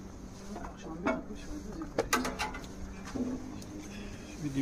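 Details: Honey bees around a two-storey hive during an apiary inspection at Santeny; a few fly at the beekeeper. Steady low buzzing with harmonics, pitch sliding as individual bees pass close. Brief speech and sharp handling clicks.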